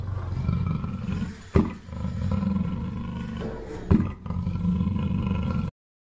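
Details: A black panther, a black-coated leopard, gives a deep, rumbling roar that rolls on steadily, low and throaty.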